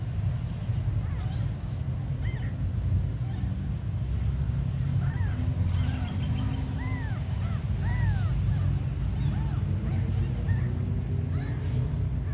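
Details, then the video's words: Abandoned kittens give scattered thin, arching mews, fewer and softer than a full chorus, clustering toward the end, against a constant low droning hum. "The smallest abandoned kittens on the world"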